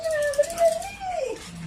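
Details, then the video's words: Several Shih Tzus waiting for food; a drawn-out whining whine holds a steady tone, wavers, then slides downward, followed by a low murmur. "Mga shitzu na waiting sa food"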